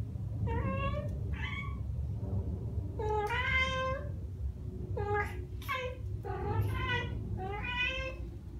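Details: Ragdoll cats Ao and Aki, aged one year and nine months, chattering after hearing birdsong: short bright chirping calls with stacked overtones, about six bursts spaced roughly a second apart over a low steady room rumble.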